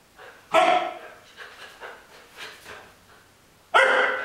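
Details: Three-month-old Alaskan Malamute puppy during a clicker-training session shaping standing heel position on the left side, 27 February 2012. Two sharp, loud barks come about three seconds apart, with soft, quieter sounds between them.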